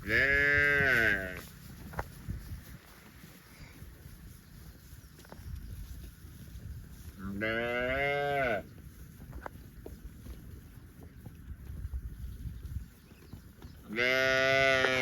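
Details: Cows out roaming the fields give three loud, drawn-out moos, one at the start, one about seven seconds later and one at the end, with quieter outdoor noise in between.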